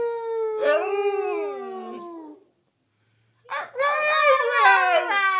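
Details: Gracie, a wolf-dog, howling with her family to reaffirm her place: a long howl sliding downward, a second of silence, then a richer chorus of several wavering howls together.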